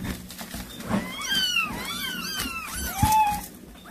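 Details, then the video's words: Cat calling to kittens after catching a mouse for them: a dense run of overlapping arched mews, several callers at once, ending in a longer flat cry, with low thumps and room hum beneath. "고양이 소리 / 아깽이 부르는 소리"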